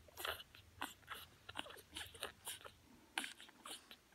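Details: French bulldog puppies born 6 March 2020 nurse on their mother's milk, with wet, irregular smacking and clicking sucks.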